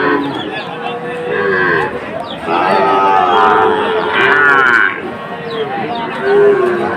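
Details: Sahiwal cattle, bull calves at Ambari cattle market in Bangladesh on 2 October: several drawn-out, harmonic moos rise and fall amid a busy crowd of people talking.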